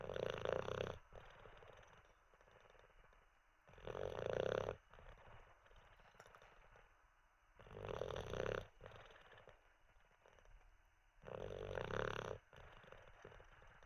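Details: Teddy the Olde English Bulldogge sleeps after treats and a wee, giving four heavy, rattling snores spaced about four seconds apart, with hushed breaths in between.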